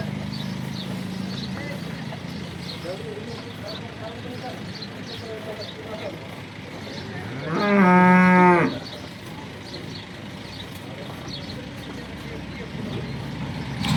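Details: Local horned cow from Banaskantha, first lactation, nine liters of milk: one loud, strong moo lasting about a second stands out midway through, with people talking quietly and farmyard background noise before and after.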